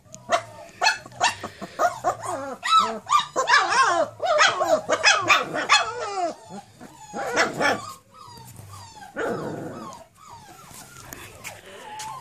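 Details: Cane Corso puppies aged four weeks, first time outside, in a dense chorus of rapid high-pitched yelps and whimpers, some sharp little barks, easing off into softer, rustling sounds near the end.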